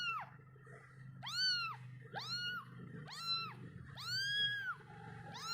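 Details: Kitten crying for its mother and milk after she has gone: about six loud, bright meows, rising sharply then falling, roughly one per second, some drawn out, over a low rumbling background hum.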